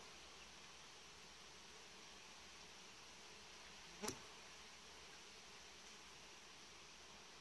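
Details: Colony of honey bees inside a warm-bed hive in a Romanian apiary, giving a continuous even hiss-like hum throughout, interrupted once by a single sharp click near the middle.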